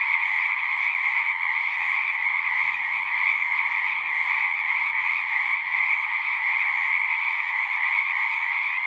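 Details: Frogs in full song at a pasture pond where horses are kept, recorded with a Zoom device: a massed, high-pitched trilling chorus that holds steady at constant loudness from start to finish.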